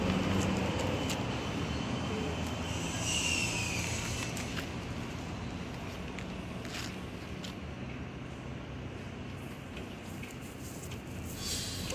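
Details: Steady outdoor road traffic rumble with passing cars, light crackling and faint distant speech, and no clear animal sounds.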